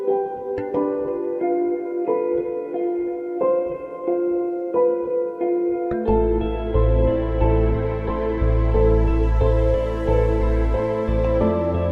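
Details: Calm piano-led ambient music plays throughout, with deeper synth and bass tones joining halfway, and no animal sound is heard.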